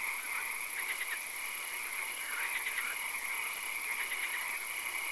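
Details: Night swamp frog chorus with occasional rain: clustered trains of rapid clicking croaks recur roughly every one to two seconds, layered over steady background hiss and a sustained high whine.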